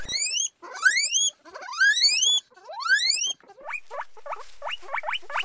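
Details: A guinea pig, described as happy, gives loud, rising squeals followed by a quick run of shorter upswept squeaks.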